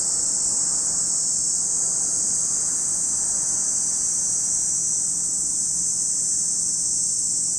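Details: Lakeside cicadas at Lake Kamo, Sado City, Niigata Prefecture, Japan, keep up an unchanging piercing high hiss, over a faint low rumble like distant traffic.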